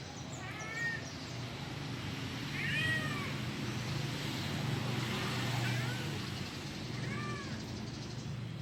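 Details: Kitten calling for its mother: four thin, arched meows spaced a couple of seconds apart, rising then falling, over a steady low hum and background noise.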